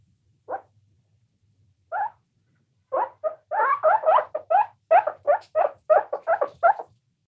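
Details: Guinea pig (Cavia porcellus), squeaks.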